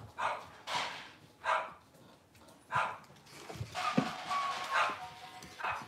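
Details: Cavalier King Charles Spaniel puppies indoors on a kitchen camera, cloudy Monday morning; short sharp bark-like bursts repeat at uneven intervals of about one second, with soft background noise and faint tones between them.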